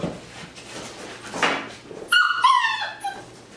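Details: Six-week-old Wirehaired Pointing Griffon puppies, a litter of three males and five females, playing indoors; one pup lets out a short, high, tonal whine with stacked yelping notes partway through, over quiet room noise.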